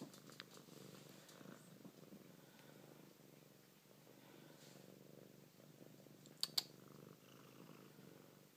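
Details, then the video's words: A Siamese cat purring while other cats play around her indoors; a soft, steady low rumbling purr runs throughout, with a couple of brief sharp clicks near the end. "Siamese purrypants"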